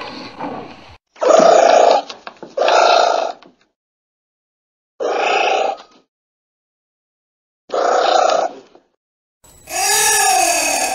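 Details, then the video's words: Giant anteater giving five harsh, growling bursts of about a second each, separated by silent gaps, followed by a longer wavering tonal cry with a rising and falling pitch at the end. "Звуки муравьеда / Гигантский муравьед звучит"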